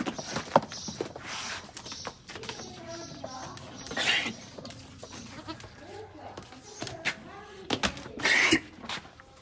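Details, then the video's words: Beetal goat kept with its kid, giving a few wavering, nasal bleats among shuffling and scraping noises, while people talk in the background. "A+++ Quality Beetal Goat with Baby"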